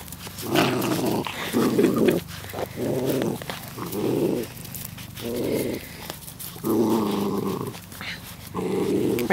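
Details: Puppies outside play fighting, producing repeated growling bursts of about a second each separated by short pauses, rough and throaty, with a faint voice nearby.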